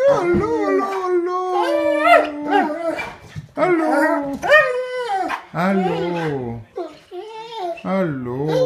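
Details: Bernese Mountain Dog howling indoors to show affection when its owners come home: long, drawn-out tonal howls that waver and slide up and down, broken by short pauses, with human voices mixed in.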